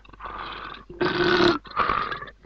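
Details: A leopard in the African bushveld, lying about 20 feet up a tree beside its wedged impala kill and at bay, gives three harsh, rasping growls in quick succession, each about half a second, with a throaty snarling edge.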